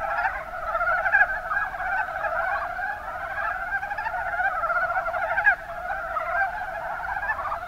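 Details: Kuma Basin, Kumamoto, Japan: a massed chorus of Mountain brown frogs giving low, rapid, chuckling croaks that blend into a constant sound, with sharper individual calls near one and five and a half seconds.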